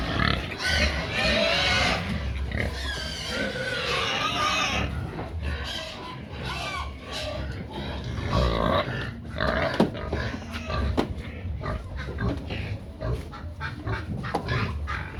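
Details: A group of pigs noisily demanding feed; long, loud harmonic squeals dominate the first half, then shorter squeals, snorts and sharp clatters follow.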